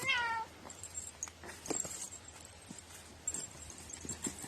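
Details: Domestic cat with a very quirky, peculiar voice, recorded on 21 April 2018: one short meow falling in pitch opens the recording, followed by quiet rustling and faint handling sounds.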